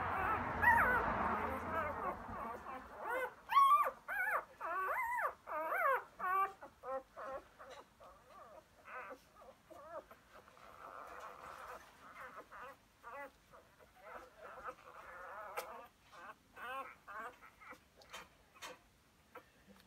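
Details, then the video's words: Labrador Retriever puppies aged four days, born to Emma and Floyd, recorded 1/5/2016; a rustle, then quick wavering squeaky whimpers repeated nearly twice a second, growing softer and scattered toward the end. "Emma Puppies 4 days old"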